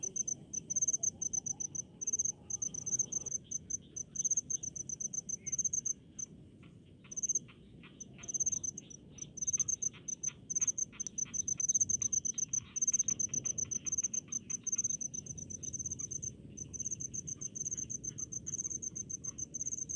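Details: Rice-field cricket song: long runs of sharp, high-pitched chirps pulsing rapidly, broken by occasional short gaps, with soft ticking insect sounds and low background noise beneath.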